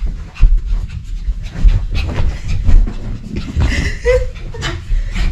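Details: A playful pet dog panting while playing with its owner: harsh, breathy bursts come in quick succession over a low rumble, with a few brighter squeaky noises near the end.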